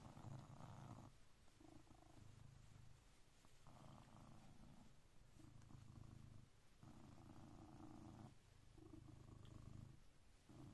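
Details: Coconut, a blue British Shorthair cat, purring to wake its owner at 6am sharp every day; deep rumbling purr in steady pulses, swelling and fading in bursts about every one to two seconds, indoors and close.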